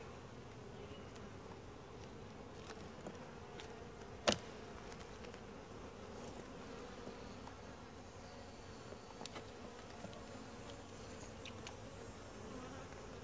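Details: Calm, gentle honey bee colony hums evenly while its hive is inspected, filmed from a tripod-mounted camera; a constant low drone is broken by one loud knock near the middle and a few faint ticks.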